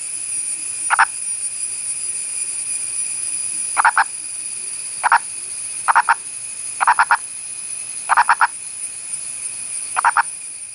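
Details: An Indian purple frog (Nasikabatrachus sahyadrensis) of India's Western Ghats gives brief, husky, chicken-like clucks, singly or in quick pairs and triplets, spaced a second or more apart, over a steady high insect whine.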